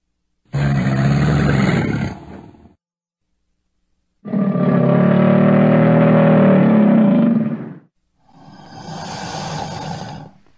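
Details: Crocodile heard in three rough, low growling bellows with a raspy, layered texture; the middle bellow is the longest, about three and a half seconds, and the last one is softer and fades away.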